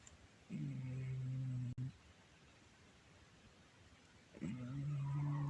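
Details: Shakirah the cat snores loudly, filmed on a Samsung Galaxy A10s. Two long, low, rumbling snores, each about a second and a half, are separated by a quiet pause of roughly two and a half seconds.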